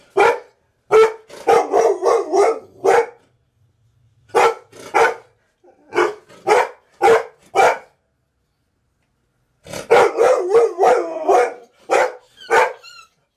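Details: Walker, a dog, barking and going ballistic: loud, harsh barks in rapid bursts of four to eight, separated by short pauses, with a faint growl between bursts and no other clear sounds.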